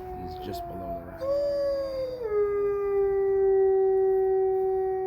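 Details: Gray wolves howl at Bay Beach Wildlife Sanctuary on 21 January 2023, one long, smooth voice sliding down and holding a steady mournful tone.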